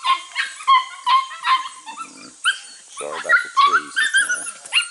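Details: Young Border Collie pups from cattle-working lines, aged six to eight weeks, on goats for their first time. They give rapid, high-pitched yapping barks about two or three per second, overlapped by a man speaking encouragement.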